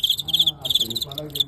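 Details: During a close-fought match with a celebrated Guangxi fighting cricket, recorded live, a cricket gives rapid, high, ringing chirp trains in two long bursts and a final short one. Faint human voice murmurs underneath.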